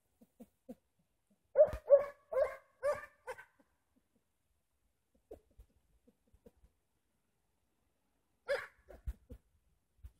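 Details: Hamiltonstövare named Pila hunting on hare tracks in February, on snow-free ground at +4 degrees, struggling to sort out the trail. A quick burst of four or five ringing barks, a pause, then another short volley.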